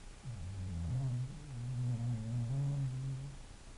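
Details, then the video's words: English bulldog snoring: a single drawn-out, low, humming rumble lasting about three seconds, steady in pitch with a slight step partway through, rising and fading at the ends, with no other clear sounds. "a snoring bulldog"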